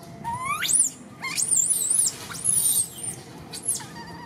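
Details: Orphaned young monkey Martin cries all day calling for Malida. Thin squealing wails sweep steeply upward, then waver at a piercing pitch. Four separate outbursts come with brief quiet gaps between them, and a soft murmur sits underneath.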